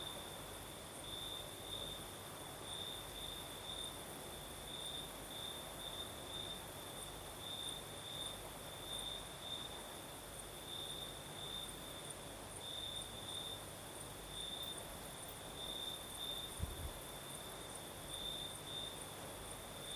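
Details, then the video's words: Night chorus of crickets in southern Crimea under a night breeze, a continuous shrill trill that swells into brighter stretches every second or so, a thin higher band above it, and gentle wind noise below. "Сверчки поют"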